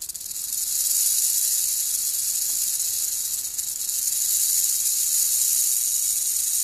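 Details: Female Crotalus molossus molossus, a captive black-tailed rattlesnake separated into a box for feeding, rattles loudly: an unbroken, sizzling high buzz that swells in the first second and then holds steady.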